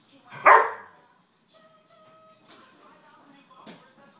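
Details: One of two household dogs, a six-year-old and an eleven-month-old, gives a single loud, sharp bark near the start, followed by faint steady tonal sounds and soft rustling in a quiet room.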